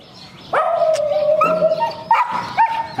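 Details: Afghan Hound at home among several hounds, filmed just before leaving for a dog show: a long, tonal, whining yelp held for about a second, followed by two shorter, higher yelps. A person speaks briefly just before.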